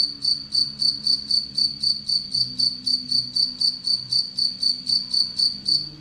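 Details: Captive Anadrymadusa retowskii, a relatively aggressive tettigoniine bush-cricket kept alongside an Egyptian locust it preys on; steady high-pitched pulsed chirping, about four pulses per second, about 24 in all, over a faint low humming background.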